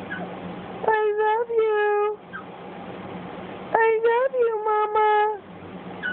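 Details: Boston Terrier puppy named Cj talking to its owner: two bouts of yowling whines, each opening with quick stuttered notes and stretching into a long, steady, tonal moan with a slight rise and fall, separated by a quiet pause with faint low hum.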